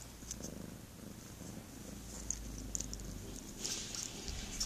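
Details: Domestic cat giving a soft continuous purr, low and evenly pulsing, while bright clicky suckling smacks break in, clustering near the end.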